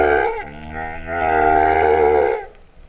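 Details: Humpback whale song recorded underwater off Vava'u, Kingdom of Tonga, September 2015, described as cow-like mooing: one loud, sustained, harmonic moan of about two and a half seconds, steady in pitch with a slight swell and fade.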